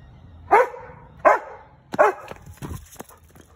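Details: Giant Schnauzer, a big black dog, barking angrily at a squirrel: three loud, separate barks roughly three-quarters of a second apart, then fainter rustling.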